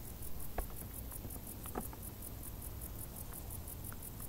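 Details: Crickets chirping in tall grass during hot summer: a high, fast, evenly pulsed trill runs without pause, over a low steady rumble with scattered soft clicks and taps.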